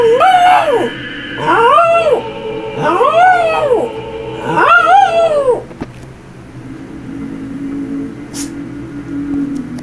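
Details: Domestic dog howling to music: four short arched howls roughly every one and a half seconds, then the dog falls quiet while the song continues.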